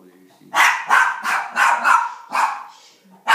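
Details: Sam, a pet rat terrier, barks while watching elk hunting on TV: a rapid run of about six sharp, rough barks, then a pause and one more at the end. Voices may overlap.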